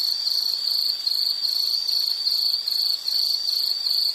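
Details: Insect chirping in a continuous high-pitched trill, broken into short pulses about two and a half times per second, steady and unbroken, with no other sounds.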